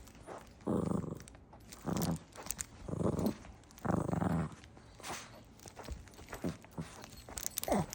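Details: Puppy growling while playing with a crunch toy indoors: low rumbling growls in bursts about once a second, followed by sharp crinkly crunching and clicks from the toy.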